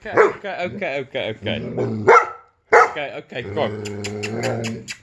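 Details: Giant Schnauzer reacting to a squeaky sound. Wavering, voice-like whines and yelps come in quick succession, then a long harmonic growl under rapid, high squeaky clicks.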